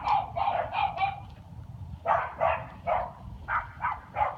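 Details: Dog barking at night in February, a series of about eleven short, sharp barks in two bursts, spaced roughly a third of a second apart with a brief pause midway, over a steady low rumbling background.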